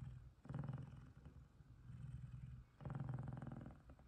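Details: Two big male F2 Savannah cats cuddle while one of them purrs loudly and happily in a deep, steady rumble that swells and fades with each breath.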